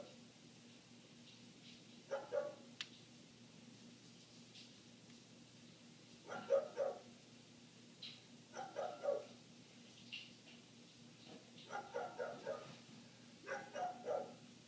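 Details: A neighbour's dog, recorded from inside a house with the windows shut, barks in irregular bursts of two to four quick barks separated by pauses of a few seconds, with a constant low hum underneath.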